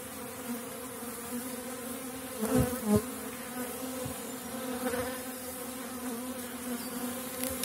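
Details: Honey bees of a strong small-cell 4.9 colony at an apiary in April, when supers are added as dandelion blooms; a continuous droning buzz with steady low harmonic bands and a few handling knocks near the third second.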